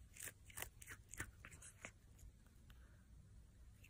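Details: Cat chewing food, with several crisp crunches in the first two seconds, then softer, fading mouth sounds over a low background hum.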